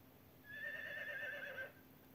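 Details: A single horse gives one high, quavering whinny lasting just over a second, wavering slightly in pitch before fading, with quiet background hiss.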